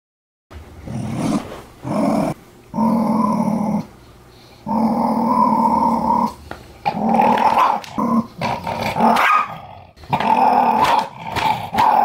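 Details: Jack Russell Terrier guarding a newly arrived dog food bag indoors, growling in long sustained rumbling bursts of several seconds each, separated by short pauses, some bursts rising into a higher snarling edge.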